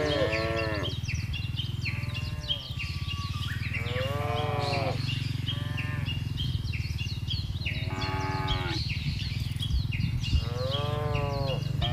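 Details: Cattle from a large herd being driven calmly across a wide grassy pasture: four drawn-out, harmonically rich moos spaced through the clip, over a steady low rumble of the moving herd with faint high chirps.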